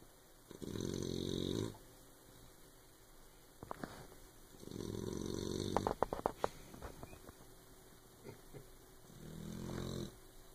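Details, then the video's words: Sleeping puppy snoring loudly: three drawn-out, rough, low rasping snores about every four seconds, each lasting roughly a second, with small clicks and rustles between breaths. "Snoring puppy"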